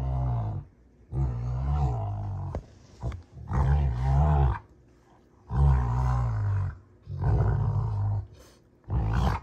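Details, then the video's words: Rottweiler pair June and Kenai in rough play on a homestead: rhythmic deep growling in about six bursts, each roughly a second long, separated by short silences. "Rottweiler WWE SMACKDOWN! (June Vs Kenai)"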